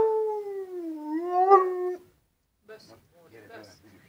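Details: A drawn-out two-second howl from Molly the husky dips, rises and falls gently, then stops; faint voices and rustling follow in a quiet room.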